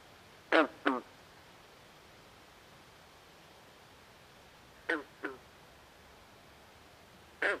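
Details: Night swamp frogs call in quick hoarse doublets, two croaks close together, repeated after about four seconds, then one more croak at the end, with faint background hiss between.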